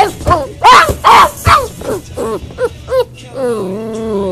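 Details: Hugo the Boxer puppy, left in his crate for crate training, gives short yelps fading into softer whimpers, ending in a steady low drawn-out moan.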